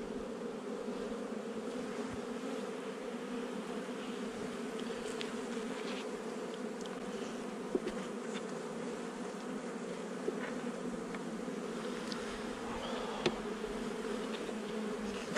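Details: Honey bee colony in a nuc installed a little over a month earlier, heard during a hive inspection on 8 July 2020: a steady, dense droning hum with a low buzzing band. A few faint clicks sound through it.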